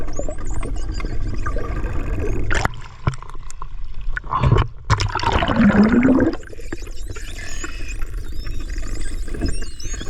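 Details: Melon-headed whales off Buruanga, Aklan, Philippines, give thin, high sliding whistles among bursts of clicks and pulses over a watery underwater rumble.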